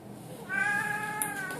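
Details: Blue Oriental Shorthair tomcat chatting with its cat sitter inside a home, giving a single sustained, level meow rich in harmonics that tails off gently.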